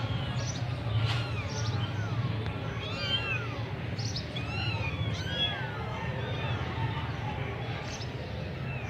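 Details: Semi-punch Persian kittens from Gujranwala give thin, rising-and-falling mews, several voices overlapping in quick succession above a constant low droning hum.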